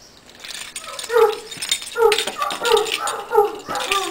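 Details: Irish Wolfhounds singing their 'song' for St. Patrick's Day: several throaty, wavering yodel-like notes in quick succession, each swelling then dropping, over a rough background.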